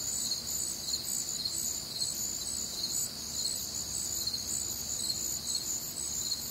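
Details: Nocturnal crickets on a humid Midwestern summer night produce an unbroken wall of high, rhythmic chirping, multiple insects trilling at once over faint low-frequency background noise.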